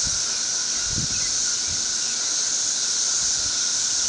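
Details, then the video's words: A massed emergence of periodical cicadas, which appear every thirteen years, blankets a tree with an intense, even, sizzling shrill noise and a sustained lower tone. Faint low knocks come from the camera. "Very Loud Cicadas"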